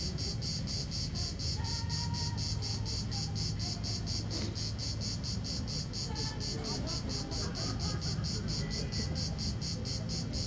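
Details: A cicada, one of the last of the season, sings on 4 September 2010 at 16:04 in Vello, province of Brescia, Italy: a high, rasping buzz pulsing steadily about four times a second over a low rumble.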